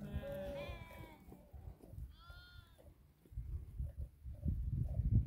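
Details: Flock of about 2000 sheep herded by eight Tibetan Mastiffs in Dhorpatan, Nepal: a loud quavering bleat, then a second shorter one, followed by rustling, trampling and low rumbling noise.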